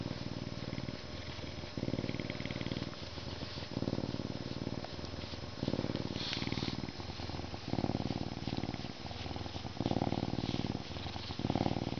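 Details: Canada lynx purring in captivity: loud low rumbling bouts of about a second each, separated by softer inhale phases, continuing evenly for the whole stretch, with a faint brief higher sound midway.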